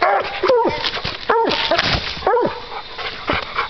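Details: Two hunting dogs barking at a raccoon they have treed during a coon hunt; loud arching barks with harmonics, roughly every second, overlapping, with a man calling encouragement and talking nearby.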